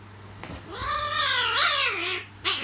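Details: Cats fighting: a long, drawn-out, richly harmonic yowl that swells, wavers and bends downward over about two seconds, then breaks off before a second, sharper yowl begins, over a faint steady low hum.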